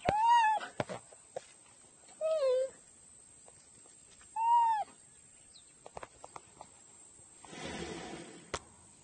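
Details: Cheetah giving three short, arched, bird-like chirps spaced about two seconds apart, each rising and then dropping. Faint clicks come between the calls, and a brief burst of rustling noise follows near the end.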